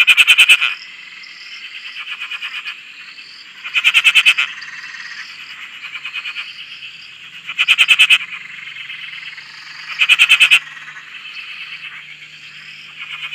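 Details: An Australian frog chorus on a dam by a shack: loud rasping pulsed calls every few seconds over a steady high-pitched trilling background.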